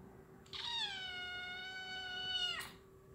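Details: Domestic cat playing with a laser pointer gives one long drawn-out meow of about two seconds, a steady harmonic-rich tone that dips slightly and ends abruptly, with a faint steady hum underneath.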